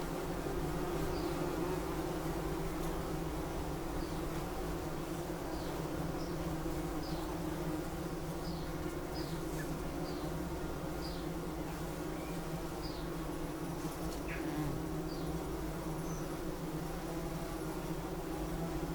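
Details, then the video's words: Bumblebee giving a continuous low droning buzz, unbroken and even, while scattered short high bird chirps sound in the background. "Bumblebee | Sound Effect"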